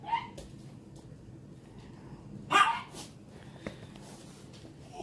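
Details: Dog at play, a puppy chasing an older dog: one short, sharp bark midway, with faint rustling and a brief voice at the start against a quiet background.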